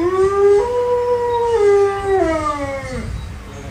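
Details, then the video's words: Alaskan Malamute howling: one long, clear, sustained howl that starts low, climbs and holds steady, then slides downward and fades at the end, about three seconds long. "Alaskan Malamute Howling"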